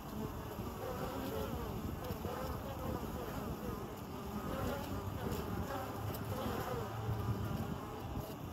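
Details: A western honey bee colony nesting in the hollow of an old Osage orange tree in Greenville, South Carolina, with foragers coming and going with pollen: a dense, steady, low droning hum of many wings.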